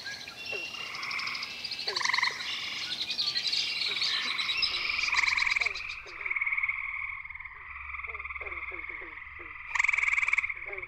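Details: Gray treefrog (Hyla versicolor) male calling at night from the low branches of a willow at the edge of Cool Pond, West Virginia. Other gray treefrogs dominate the surrounding chorus with loud, musical, overlapping trills.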